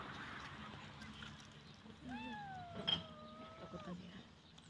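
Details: Small abandoned kitten crying from hunger at a rubbish dump in the rain while scavenging garbage: one drawn-out, harmonic meow holding a level pitch for nearly two seconds, with a clatter partway through and faint background noise.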